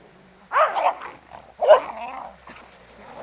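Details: A beagle playing with a shirt gives two rough, grumbling play-growl bursts, each about half a second, with a brief whine-like tone inside the second, over quiet background.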